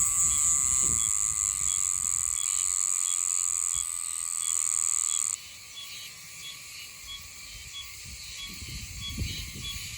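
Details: Meimuna oshimensis cicada, Yanbaru in Okinawa, a species that keeps singing until around mid-December: sustained piercing whine that holds steady for several seconds, then cuts off, leaving a softer, fainter insect drone behind.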